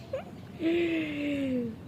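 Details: German Shepherd named Sheru giving a long drawn-out whine that holds steady and slowly falls in pitch over about a second, after a short squeak; low background hum.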